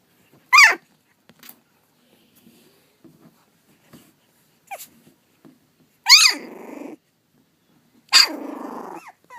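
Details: Pug/Dachshund mix puppies, three and a half weeks old: loud, high yelping whines sliding down in pitch, separated by quiet stretches with faint soft squeaks, two longer cries ending in a buzzy tail.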